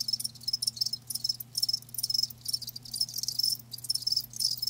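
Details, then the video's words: Chirps from live crickets, shrill high trills coming in bursts roughly every half second, over a faint steady low hum. "Live Crickets 60min "Natural Sound""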